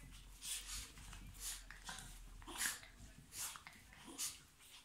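Chihuahuas at play give breathy, snorting huffs, repeated roughly once a second.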